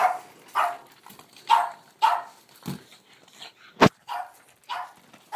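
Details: Boston Terrier, highly excited by a ball and playing with it, rolling it skilfully; short sharp barks repeated about every half second, with a thump partway through.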